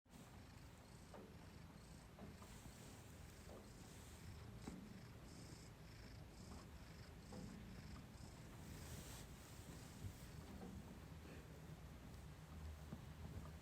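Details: A cat purring contentedly on a freshly washed, sweet-smelling blanket, indoors; a quiet, low, continuous rumbling purr under a steady hiss, with faint soft clicks.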